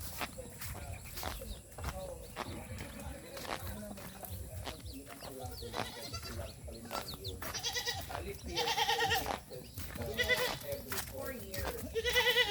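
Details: Farm goats standing in a lengthening line in the countryside, bleating: several harsh, wavering bleats with stacked overtones, coming thickest in the second half, over footsteps, shuffling and people talking.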